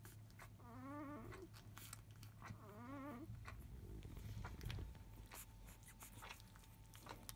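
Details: Five-day-old field-line Labrador Retriever puppies, born to biscuit, 2017 JFA Grand Champion, indoors just after 1 pm, fussing loudly as they start to nurse: two wavering, harmonic whines, each about a second long, then suckling and rustling.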